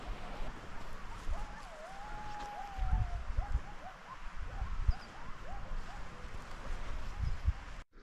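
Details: A distant wolf pack in the mountains, heard near tree line on a morning hike, howls in long wavering tones over heavy wind rumble.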